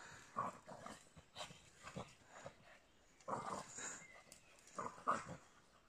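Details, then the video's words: Two French Bulldogs, Sziporka and Puszedli, playing in the woods; short rough grunting bursts come in three clusters about two seconds apart, with rustling between them. "Francia bulldogok játszanak az erdőben"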